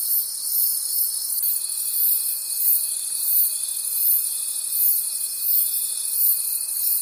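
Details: High, rhythmically pulsing cricket chorus from a night forest, about four pulses a second, with one steady thin tone entering after a second and a half and continuing to the end.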